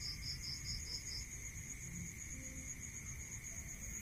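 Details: Rural night scene with a cricket: a burst of about a second of rapid high pulsed chirps that then stops, leaving a steady two-tone insect buzz and low background rumble.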